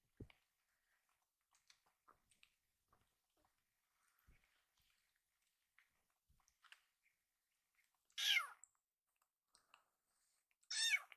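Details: Rescued baby kitten loudly meowing as if saying "iru" (want) to ask for more food; two high, strained meows near the end, spaced about three seconds apart, after quiet small clicks and taps indoors.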